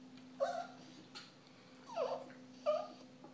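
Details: A small pet dog sitting at a kitchen table begging for food; three short whining yelps with bent, falling tones around half a second each, spaced about one second apart, over a steady low indoor hum.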